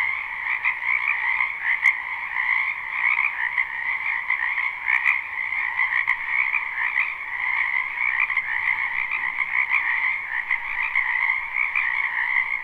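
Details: Numerous frogs call in a spring wetland, recorded live without looping; their overlapping croaks make a steady, raspy, two-toned chorus, broken by a few faint sharp clicks.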